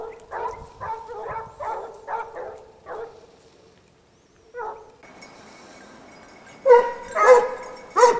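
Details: Several Basset Hounds of the French Rallye de l'Allagnon kennel trailing a scent, giving a run of eight tonal, harmonic baying barks in the first three seconds, then a lone bark and a louder, ringing cluster near the end.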